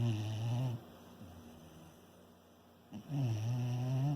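A Shiba Inu snores in two long, low, rumbling breaths with a quiet pause between.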